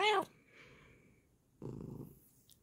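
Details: Bengal cat uttering one short, bright meow at the start, followed by quiet then a burst of soft rustling noise.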